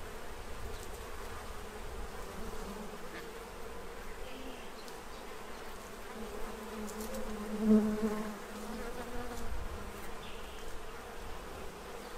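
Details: Swarm of bees at a feeding tray in Central Illinois, stocking up for winter; continuous layered wing hum, low and even, swelling briefly louder around the middle as a bee passes close.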